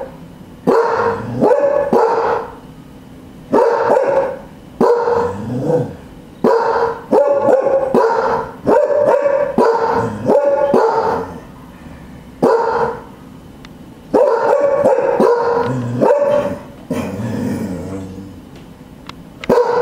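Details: Cardigan Welsh Corgi guard dogs barking at the back door: bursts of loud, harmonic barks in quick runs, broken by short pauses, with some overlapping barks suggesting more than one dog.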